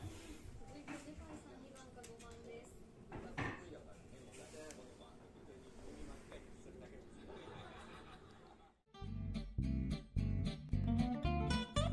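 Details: Indoor talking with soft clinks in a small room, followed by an abrupt switch to loud, rhythmic music with plucked strings and no animal voice.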